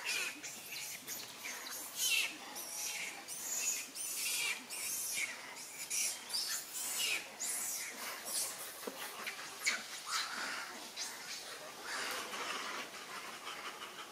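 A monkey gives shrill, squeaky calls in short bursts, over and over.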